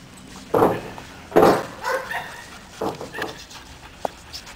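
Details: Caiman, a seven-month-old Belgian Malinois, during obedience training: two loud, harsh barks about a second apart, followed by softer, shorter vocal bursts and a faint click near the end.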